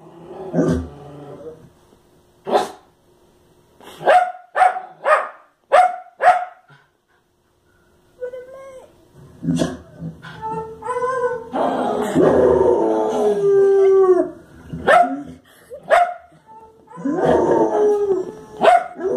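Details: Fox Terrier reacting to the television with irregular bursts of sharp barks, a brief quiet pause, then a busier stretch of barks mixed with tonal, whine-like and voice-like sounds.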